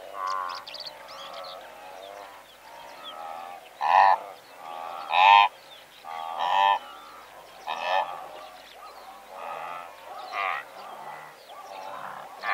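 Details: Blue wildebeest herd of several hundred animals, recorded at medium close range: overlapping nasal, harmonic honking grunts from many animals, with louder individual calls standing out about every one to two seconds against a steady chorus.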